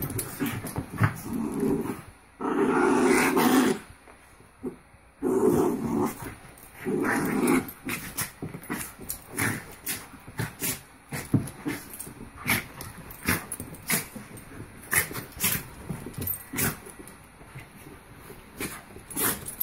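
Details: Two Havanese dogs wrestling in play, with rough throaty growls in three bursts of about a second each during the first eight seconds, then a long run of scuffling clicks and taps as the tussle continues.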